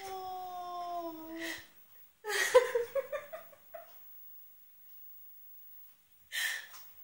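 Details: Ruby, a pet cat indoors, wails in a drawn-out, steady, slightly falling cry lasting about a second and a half, followed by human laughter and a brief voice.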